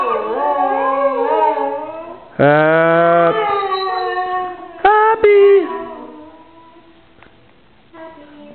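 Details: Saluki, a pet dog, howling along as people sing Happy Birthday indoors: long wavering tonal howls with rich harmonics, one loud sustained howl in the middle, then short bursts and fading voices.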